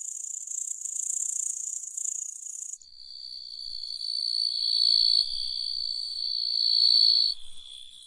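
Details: Grasshopper stridulation: a dense, very high continuous buzzing hiss that cuts abruptly into a steadier, purer high-pitched whine, which swells louder toward the end before fading.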